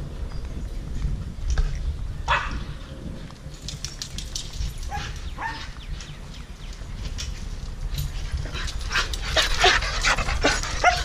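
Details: Dogs playing together, giving scattered short, sharp barks and yips between breathy scuffles, with the barks growing busier and more clustered near the end.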